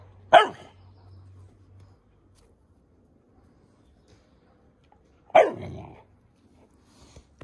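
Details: Dobermann puppy giving two sharp, loud single barks about five seconds apart, each a brief bright burst with a slight tonal ring, separated by near silence with a faint low hum early on.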